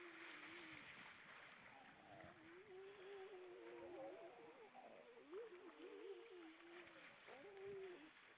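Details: Grey seals, many hauled out above the water on Vilsandi, Estonia, on an evening in late September 2012: several overlapping wavering, mid-pitched moans that rise and fall in long drawn-out notes over a steady background hiss.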